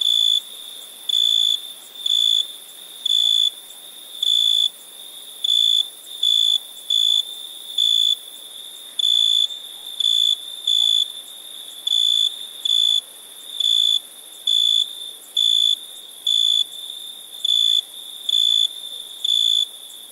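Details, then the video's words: At night, crickets keep up a long run of short, bright, high-pitched chirp bursts, over twenty in twenty seconds, some paired closely, ringing steadily over a faint continuous hiss. "Relaxing Chirping Crickets for Sleep Therapy, Meditation and Study"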